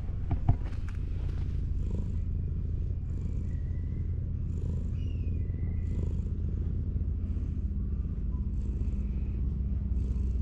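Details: Purring ginger tabby cat sprawled against a wall with its belly out while being stroked: a deep, even rumble runs throughout, broken by a brief tap at the start, with periodic soft fur-rubbing strokes and faint gliding whistles.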